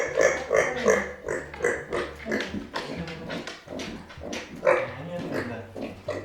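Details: Pet micro pig Arya, angry at being left behind, grunts rapidly and repeatedly, about three grunts per second, with a sharper squeal near the end and background clatter.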